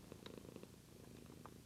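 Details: Sleepy pet cat indoors, recorded with a Lumix GH2 camera, giving a close, continuous purr: a low throbbing rumble with rapid even pulses, no other sounds.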